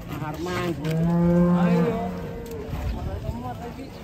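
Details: Raging cow, frightened of water and eventually carried; a deep, sustained moo of about a second swells and fades, its rich overtones audible above background music and a noisy hum.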